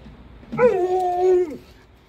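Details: Alaskan Malamute getting ready for its first car ride of the year, giving vocal nudging: one drawn-out, tonal whining howl about a second long, rising sharply, holding level, then dropping away at the end, over quiet background.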